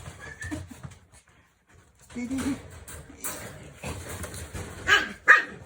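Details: Shikoku puppy being coaxed to go inside: short, high whimpering yelps and a brief bark, strongest near the end, amid a person's coaxing speech and handling noise.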